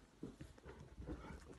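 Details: Mini pig gives short, low, soft muffled grunts, two brief oinks about a second apart, over a faint rumble, while pigs crowd in during a cuddle session, stepping on and licking their owner.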